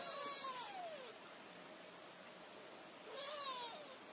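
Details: A kitten seeking its owners' attention gives two thin, high meows that slide downward, one at the start and one near the end, with a long quiet gap and soft background hiss between.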